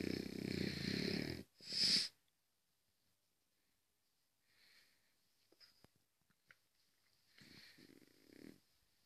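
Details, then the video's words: French Bulldog asleep, giving a loud rasping snore at the start, then a second short harsh breath, followed by quiet soft breathing with small clicks and a faint later snore. "French bulldog sleep"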